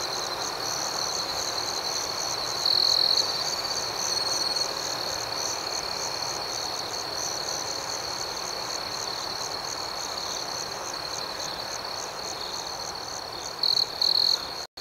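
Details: Gentle nighttime cricket chirping, a shrill, rapidly pulsed trill running throughout, with a few louder bursts near the start and again toward the end before a sudden cut.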